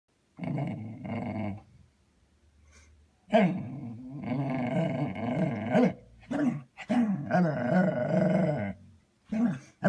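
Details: Dog making funny noises while trying to get another dog to play; drawn-out moaning growls and whiny grumbles in bursts of one to two seconds, with short pauses between.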